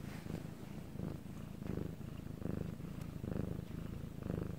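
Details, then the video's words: Night-time recording of a pet cat, Bangul, purring: deep vibrating hum swelling with each breath, about one pulse per second, steady and unbroken throughout. "방울씨의 2시간 골골송"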